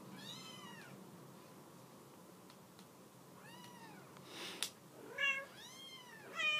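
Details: Shelter mother cat wanting her kittens off the couch; a few arched, falling meows, then a burst of closer, higher meows near the end, with a brief rustling thump in between indoors.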